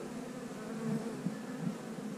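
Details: Honey bees in a hive during an inspection, with queen cells partly hatched; a steady, dense buzzing hum throughout, swelling slightly near the middle with a few soft bumps from frames being handled.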